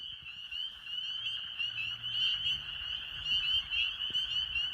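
A dense chorus of spring peepers, many high, piercing peeps overlapping into a continuous shrill ringing.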